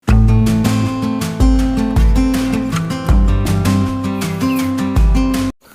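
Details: Strummed acoustic guitar music with a steady beat fills the recording, and no animal voice can be picked out.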